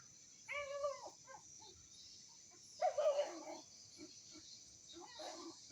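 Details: Village dog (anjing kampung) in Indonesia, 18 November 2022: a drawn-out harmonic whine, a short pause, then a cluster of hoarse yelping barks and a fainter late yelp over constant high-pitched background hiss.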